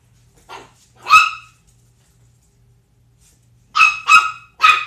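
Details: Pitbull Zelda with Chihuahua puppy Sumac, aged 10 weeks: one soft yap, then one loud sharp bark, a long pause of over two seconds, then three brisk high barks. Low background hum only.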